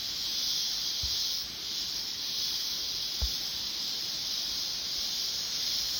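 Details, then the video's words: Cicadas droning in mountain woodland, an unbroken high electric-sounding buzz with a slight dip in loudness partway, plus two soft low thumps. "Sonido de las chicharras en la Montaña"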